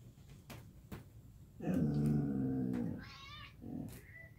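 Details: Samoyed named Gomi greeting its owner in the morning indoors with a drawn-out, wavering grumbling vocalization about one and a half seconds long, low and harmonic-rich, followed by a brief higher whine; a few soft clicks before.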